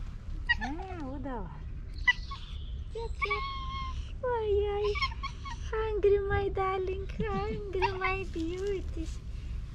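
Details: Domestic cat meowing like a squeaky toy: a run of high, squeaky, drawn-out meows, some wavering and bending, several in quick succession, while a person talks affectionately nearby.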